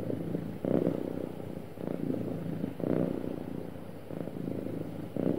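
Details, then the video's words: Contented house cat, described as happy, purrs in a soft low rumble that rises and falls in breath-paced surges about once a second, recorded up close in quiet surroundings. "Happy Cat Purring Smoothly"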